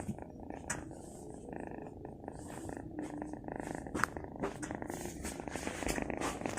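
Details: Soft, close purring from a pet cat: a continuous low throbbing rumble, quiet at first and growing slightly fuller toward the end, with a few faint rustles over it.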